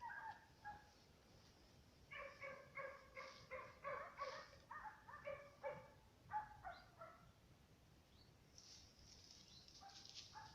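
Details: German Hunting Terrier, a dog bred for hunting, barking in a rapid run of short, high, sharp yaps, roughly three per second with brief pauses, outdoors with quiet background.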